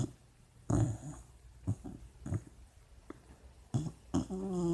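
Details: A sleeping, dreaming puppy indoors: soft low snorting breaths at irregular intervals, ending in a brief high, wavering whimper.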